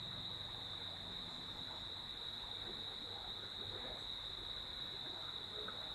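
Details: Night crickets at Sreemangal, listened to from a villa veranda next to a stream, keep up a continuous shrill tone without pause, with the gurgle of flowing water and a faint low rumble beneath.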